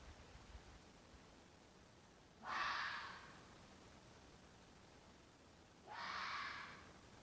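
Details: Mating-season fox voice: two drawn-out, hoarse, slightly wavering screams roughly three seconds apart, each close to a second long, over a steady faint hiss.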